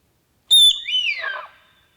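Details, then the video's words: Sika deer at Krasny Bor near the village of Dobroplesy on 3 October 2015, whistling in reaction to danger and to communicate with each other: one sharp, high whistle that slides downward and fades into a softer, wavering tail. "Олень пятнистый. Свист. Sika deer. Whistling."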